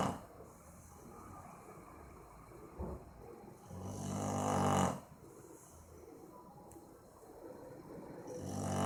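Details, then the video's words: Boxer named Maizena snoring while asleep, recorded 18 April 2015; one long rasping snore swells for about a second near the middle over a quiet low hum, with fainter breaths before and after. "Meu Boxer dormindo e roncando - cachorro roncando"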